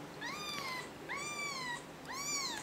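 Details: Kitten handed back to its mother cat, who has become protective; three clear meows, each rising quickly then sliding gently down, roughly one per second, over a faint low hum.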